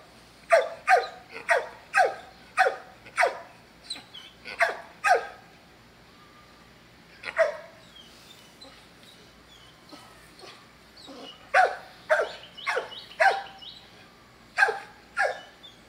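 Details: Dog delivering clusters of sharp, loud barks in quick bursts, then falling quiet for several seconds before resuming with renewed rapid barking; a few softer yips and whimper-like sounds appear during the lull.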